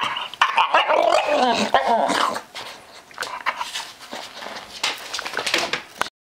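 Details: Staffordshire Bull Terrier making weird noises: strained, whining, warbling vocal sounds, loudest and most continuous in the first two and a half seconds, then quieter scattered grunts and snuffles until the end.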